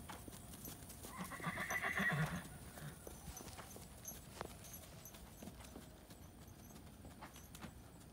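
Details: Cremello Tennessee Walking Horse mare named Sable, foaled 2007, under saddle at dusk straight out of pasture after weaning her foal. A drawn-out, quavering neigh lasts about a second, followed by steady hoofbeats on the ground.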